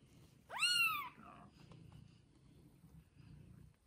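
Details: Cat family with kittens only a day old: one clear, loud meow that sweeps up and then slides down. A softer trailing note follows, then low room hum.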